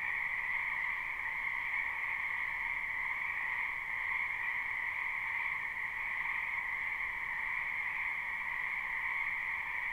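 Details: Spring frog chorus from a wetland behind a house, recorded live without looping: a dense, unbroken croaking drone in two steady bands, one lower and one higher, with no clear gaps or single voices.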